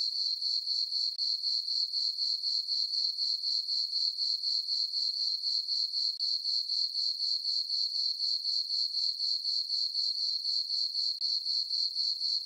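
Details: Full-moon summer night on a farm meadow with crickets chirping: a bright, high, unbroken trill beating in regular pulses about four per second throughout, no other animals or noise.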